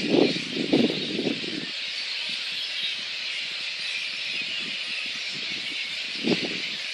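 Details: Roosting little red flying foxes in Boonah, Queensland, Australia, on 19 February 2014, ahead of a dispersal by council and contractors. A continuous shrill chorus of squeals, broken by a few louder low rustling bursts near the start and end.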